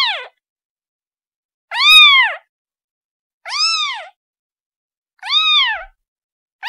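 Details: Calling its mother, a kitten repeats short high-pitched mews that swell and drop, roughly one every one and a half seconds, with a clipped cry at each edge; quiet surroundings.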